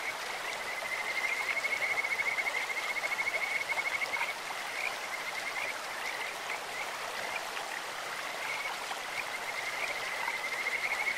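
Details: Kajika frogs calling in a clear stream, a bird-like voice: high thin pulsed trills holding one steady pitch, strongest early and again near the end, over constant rushing, splashing water.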